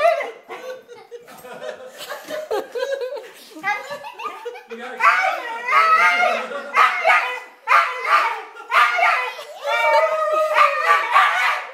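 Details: Zoe, a pet Husky dog indoors, greeting her owners on their return from a trip, as she does every time; long, bending, wavering howl-like yowls and moans in rapid runs, with human laughter and voices mixed in.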